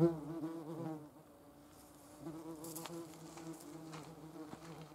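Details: Yellowjackets collecting protein to feed their larvae: a steady, low droning buzz with stacked harmonic tones that wavers in pitch, growing louder and fading as the insects fly close, with faint rustling in the background.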